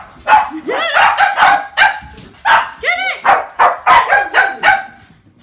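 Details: Pack of Shih Tzu playing with balloons indoors on a wet British day; rapid, high-pitched excited yaps with bending tonal arcs, about two per second from several dogs, with a human voice mixed in.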